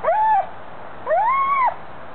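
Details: Pet Weimaraner squealing at squirrels: two high, whistle-like squeals, each rising and then dropping sharply at the end, the second longer than the first, with a short pause between them.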